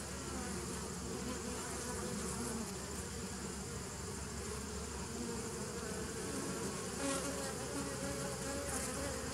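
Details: Bees recorded on 27 September 2018: a continuous dense droning hum, low and steady with layered overtones, faint higher hiss above, no other clear sounds.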